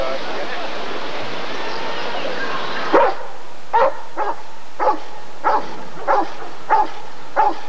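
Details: Rottweiler at the 1994 ADRK Körung breed survey: after about three seconds of crowd noise and murmuring, a steady run of seven deep, sharp barks follows, spaced roughly two-thirds of a second apart.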